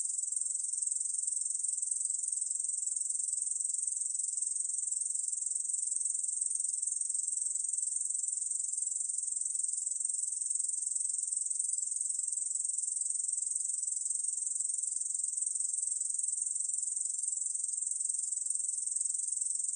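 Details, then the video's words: Korean bush cricket song from the National Institute of Biological Resources, 2020: a steady, high, hissing buzz of rapid pulses running unbroken for twenty seconds, with no other sounds. "중베짱이, 여러번 듣기, 곤충소리"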